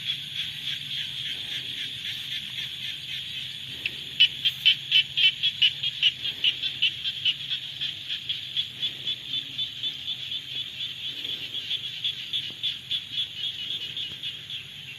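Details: Frogs in the rainy season, a steady high buzzing chorus with a clear run of sharp rhythmic pulses, about four per second, standing out in the middle before fading into the continuous drone.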